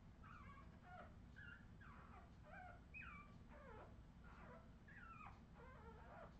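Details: Australian Terrier puppies in 2018 whimpering and yipping almost continuously, with many short, high, wavering whines that bend up and down in quick succession over a constant low hum.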